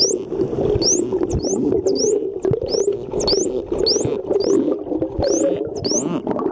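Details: Wild dolphins off Mikurajima, Japan, whistling while blowing bubbles from the blowhole, filmed underwater on an Olympus TG-2; steady run of short, high, rising whistles, several per second, over a bubbly, rumbling underwater wash.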